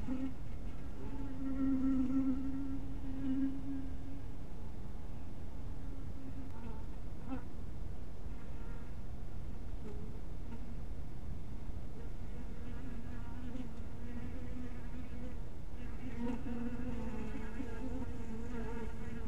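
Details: Honey bees near their bee cottage in the twilight: a droning buzz early on and again toward the end, quieter in between, over a continuous low-frequency rumble.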